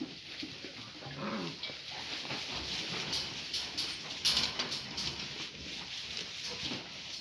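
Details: Gracie, a Great Pyrenees mother, playing with her puppies: short, soft whimpering and whining notes early on over a steady broadband hiss, with scattered rustling and clicking sounds throughout.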